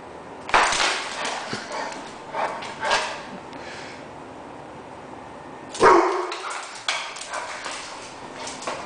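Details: An 11-month-old American Bulldog weighing 102 lbs, acting a fool, gives two loud, harsh, broadband bark-like bursts about five seconds apart, each followed by softer scuffling sounds over low room noise.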